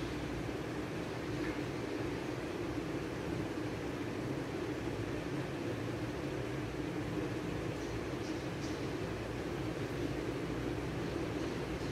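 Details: Steady mechanical rumble and hiss, like a vehicle or fan, with no animal voice.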